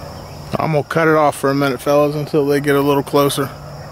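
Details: Blackcreek and Bluetick hounds running rabbits on April 4, 2013; a close, loud run of seven short, steady-pitched, ringing bawls follows in quick succession over about three seconds, with a low hum behind.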